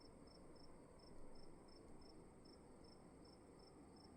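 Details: Cricket chirping indoors in a room, short bright pulses spaced unevenly at roughly one and a half per second, set against a steady high tone and a soft low rumbling hiss.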